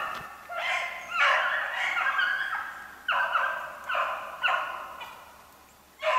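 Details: Beagles running snowshoe hare, dated 3/8/16, with fewer voices: a long bay leads, followed by separate drawn-out bays spaced roughly a second apart that fade before the next begins.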